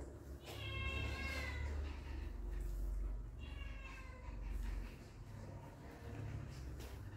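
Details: Two drawn-out, high-pitched puppy whines, the first slightly rising, come about three seconds apart as puppies meet their father for the first time; a heavy low rumble fills the background.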